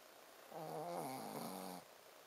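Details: Sleeping Shih Tzu Ponzu gives one drawn-out, rasping snore of just over a second, a low buzzing tone with layered overtones that starts and stops abruptly against a quiet indoor background.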